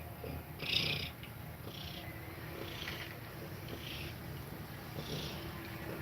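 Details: Domestic cat nursing its kittens, breathing fast while feeding them milk; a soft, continuous low rumbling purr runs throughout, with a brief breathy hiss near the start.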